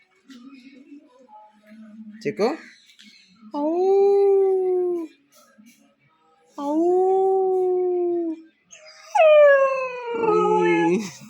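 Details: Pet dog vocalising in a drawn-out, talking-like way while watching people pass outside: three long, steady, tonal moans with a rich stack of overtones, the last starting high and sliding downward, with a woman speaking softly in Malayalam between them.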